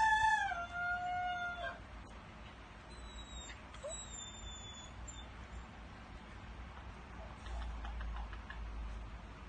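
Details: Bela, a dog, crowing like a rooster: a loud, rich harmonic howl opening with a wavering rise, held steady for under two seconds, then fading into quiet background with faint high bird whistles.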